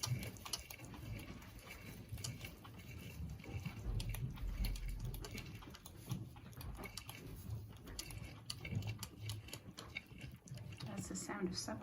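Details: Boer goat kid nursing from its mother at suppertime on a commercial meat goat farm in mid Missouri, making soft wet smacking and sucking noises as a steady patter of small clicks, over low rumbling background.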